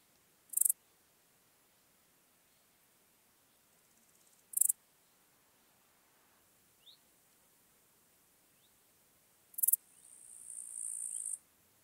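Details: Small gold grasshopper recorded at Elsbethen, Austria, on 26 September 2021: short, high, dry rasping bursts spaced roughly four to five seconds apart, ending in a longer sustained hissing buzz, over a quiet background.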